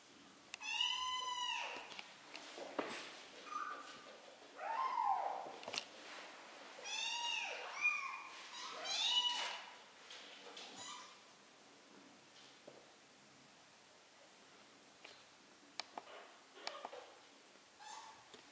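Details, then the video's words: Three-week-old kittens meowing while learning to walk: a run of high, rising-falling meows with strong harmonics during the first half, then quieter with scattered clicks and rustles toward the end. "BEBEK KEDİLER ÇOK HEYECANLI 😻 MİYAVLAYARAK YÜRÜMEYİ ÖĞRENİYORLAR"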